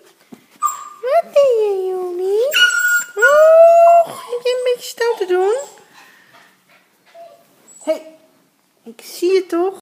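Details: Rhodesian Ridgeback puppies chasing each other indoors, with high whining yelps that rise and fall, several long drawn whines around the middle, and short squeaks later, along with a person talking in Dutch.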